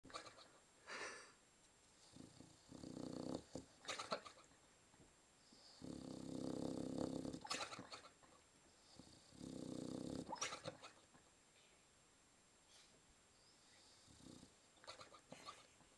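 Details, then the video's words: {'caption': 'Boxer dog snoring heavily: quiet, rough, breathy snores swelling and fading every few seconds, with louder rasping stretches around the middle and some faint clicks.'} "Extreme Snoring by Lilly the cute boxer dog"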